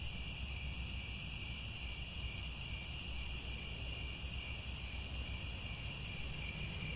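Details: Crickets in the grasslands of Angkor Wat, Cambodia, at sunset: a constant ringing high chorus, somewhat softer here against a stronger low rumble throughout.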